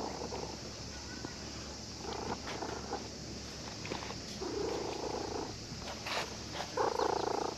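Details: Cat that had been sleeping at a fishing port purrs contentedly while a child who came fishing strokes it; soft low rumbling bursts about a second long swell and fade twice, over steady outdoor background hiss with faint clicks.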